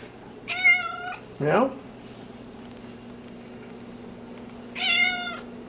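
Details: Very vocal pet cat Cassidy gives two long, bright meows about four seconds apart. Between them a person asks a quick upward-sliding "meow?" over a faint indoor hum.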